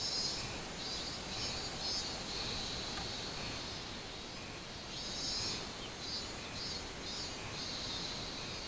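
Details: Minmin-zemi, the robust cicada, recorded 24 July 2016: high buzzing song in pulsing bursts that fade and return in waves, over a continuous hissing background.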